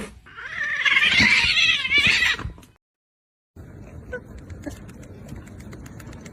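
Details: Kitten crying with a loud, high, wavering meow that lasts over two seconds, followed by a short silence and then faint background clatter.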